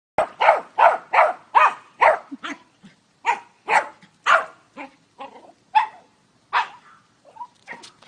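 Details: Short-legged pet dog at a home swimming pool in Arizona, USA, barking frantically at its owner in the water, believing the owner is drowning. It gives rapid sharp barks about three per second, then more spaced barks and soft whines.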